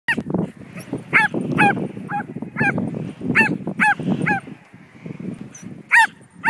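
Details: Betsy, a Border Collie mix, barks excitedly while herding a kite being flown; high, yelping barks with arched, ringing tones come in irregular bursts, roughly a dozen over several seconds, over a low rumbling background.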